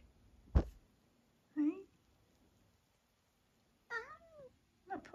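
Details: Meows and short squeaks from Eric, a long-haired tabby cat from the UK aged nearly 12, recorded in October; a few brief rising-falling calls separated by silence, with a sharp click near the start.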